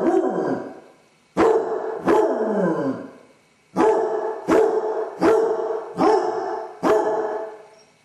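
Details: Basset hound named Dodger, left alone in the house, suffering separation anxiety: loud, deep baying barks in irregular bursts, several ending in long falling, drawn-out howling tails, roughly eight calls over eight seconds, with silent gaps between.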